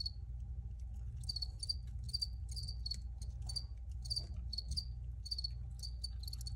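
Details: Original cricket recording: bright, high-pitched chirps in clustered bursts, several a second, over a persistent low hum.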